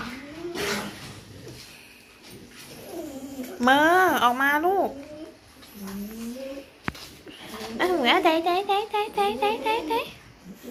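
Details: A dog, one of three lively pets, playing late at night. It gives bursts of high, wavering, harmonic yowls and a rapid pulsing woo-woo run near the end. A woman talks and coos excitedly between the calls.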